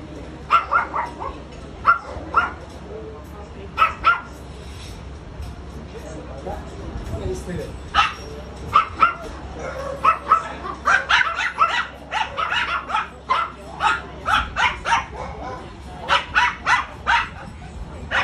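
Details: Ram-Ram, a friendly Chow Chow and Rottweiler cross dog called the lion dog, barks repeatedly in short sharp bursts, some in quick runs, mixed with human speech and background music.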